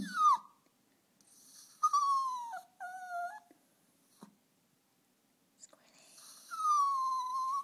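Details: Miko, a female dog, whines whenever she sees a squirrel that keeps coming back to eat strawberries. Her voice comes as thin, high whines that slide downward, about four drawn-out cries separated by short silences, with a quiet room behind.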